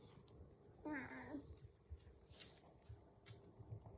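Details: House cat waiting for breakfast in the morning; one short meow rising then falling, against low room rumble and small clicks.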